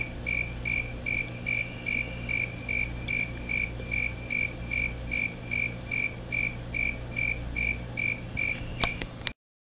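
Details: Fulton's tree cricket (Oecanthus fultoni), a male calling: regular high trilled chirps repeated roughly two and a half times per second at steady pitch, low rumbling hum beneath, a couple of sharp clicks just before the sound stops.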